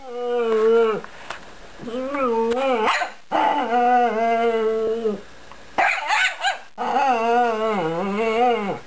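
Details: A female Chihuahua puppy grumbles, growls and yaps in drawn-out, wavering, whiny bursts while her brother keeps her ball from her; she only wants to play.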